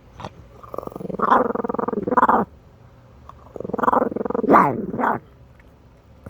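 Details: Chihuahua in Minneapolis growling in two long bouts, each a rough, pulsing rumble that swells and breaks into brief higher yelping rises near the end, with a quiet gap between.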